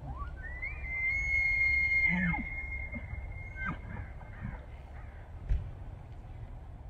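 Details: Bull elk bugling during the autumn rut in September in Banff, Alberta, Canada, calling to attract females, control the herd and warn rival bulls; a long high whistle rising then holding steady for about three seconds, ending in lower grunts.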